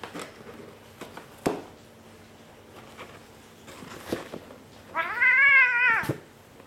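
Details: A Bengal cat gives one loud, drawn-out meow that rises and falls, after a few soft taps and knocks.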